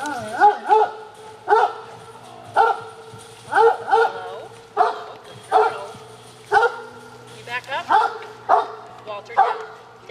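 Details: Several pet dogs at afternoon snack time, waiting to be fed treats. Short harmonic yelping barks come in bursts about once a second, with a woman's voice giving commands such as sit and wait between them.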